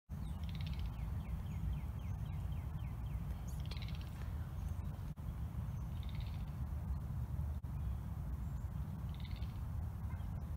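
A boreal chorus frog gives short, creaky, rising trills every few seconds over a steady low rumble.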